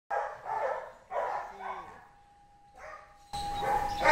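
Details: Amos, an 8-year-old Belgian Malinois at the BulaK-9 boarding and training school, during a training session: two short bursts of harsh barking, a steady thin tone, then a lone bark before loud music takes over.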